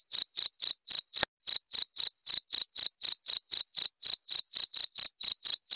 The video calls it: SUARA JANGRIK JERNIH KERAS NYARING Buat Masteran🦜